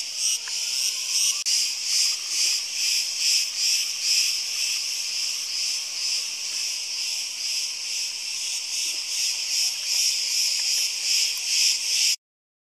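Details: Summer cicada chorus from Crete, a continuous shrill whirring buzz beating in fast rhythmic pulses for about twelve seconds before cutting off abruptly into silence.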